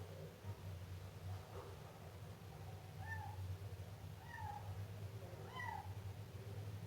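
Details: Siamese kitten giving soft, short meows, about three thin rising-falling cries in the second half, over a steady low hum and background murmur.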